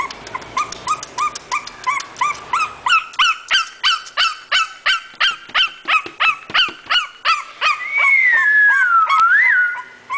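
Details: English bulldog up for sale from a breeder, producing a long, steady run of high-pitched yelps, roughly three per second, followed near the end by a drawn-out wavering whine that falls and then rises.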